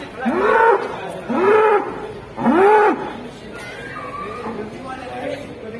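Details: Large cattle at a livestock market in Kudus, Central Java, Indonesia: three loud, arched moos about one second apart, each rising then falling, followed by quieter chatter and murmuring people.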